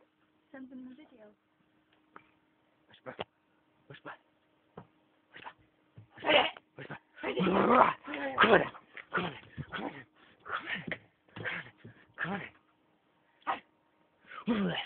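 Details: Akita dogs at play, giving rough, noisy growl-barks in irregular bursts, loudest around the middle, with a person's voice and laughter mixed in.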